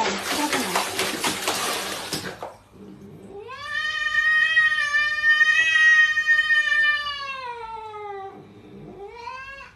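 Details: Domestic cat giving a long, drawn-out wailing meow. The pitch holds steady and then slowly falls over about four seconds. A shorter rising meow follows. The opening seconds are filled with harsh rustling noise.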